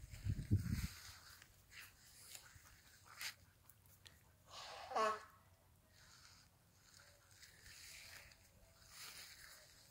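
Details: A Siberian Husky gives a single sharp yelp of pain that slides quickly downward after getting a shock from an electric fence.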